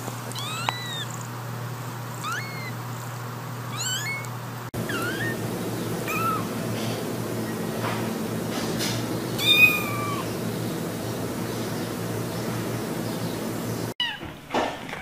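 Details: Cats and kittens from a funny meowing compilation: several short, thin, rising kitten mews scattered over a steady low hum, then a cut to a noisier scene with a few faint meows and brief thuds.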